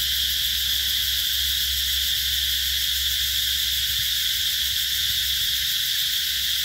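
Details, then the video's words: Cicadas in summer at the Mỹ Luông eco-tourism area, Chợ Mới, An Giang province, Mekong Delta, Vietnam, 2021: a dense, unbroken high-pitched buzzing drone with a faint pulsing texture, holding steady throughout without pause. "tiếng ve gọi hè"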